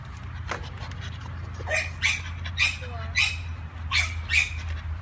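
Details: Female American Bully puppy from Cambodia, short high whimpering squeaks repeated about every half second, with a steady low hum underneath.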